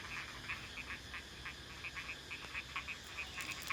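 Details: At evening dusk in rice paddies after a full day and night of rain, a dense chorus of frogs gives short bright notes, overlapping in a steady, repeated rhythm.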